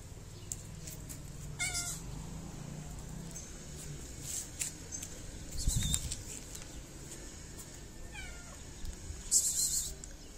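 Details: Sweet fluffy cat from a city in Morocco, fed and petted before and after food, meows twice, a short rising-falling mew early on and another near the end, amid rustling, thumps and bursts of hiss.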